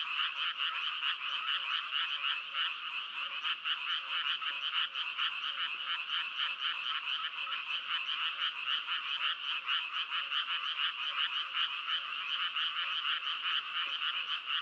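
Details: Unbroken frog chorus: many overlapping croaks form a fast, even, rattling pulse that holds steady and loud throughout, with no other clear sounds.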